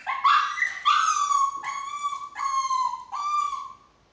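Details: Chihuahua said to be getting out through a window, producing five drawn-out whining cries, the first two rising then falling, the later ones flatter and steady, each lasting under a second, fading out at the end.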